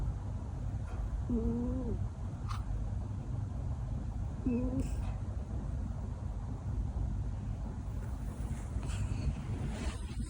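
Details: Cat snoring with a sound likened to a car engine: a steady, deep rumbling drone runs unbroken through the whole recording. Two short squeaky tonal sounds rise over it, near one and a half and four and a half seconds.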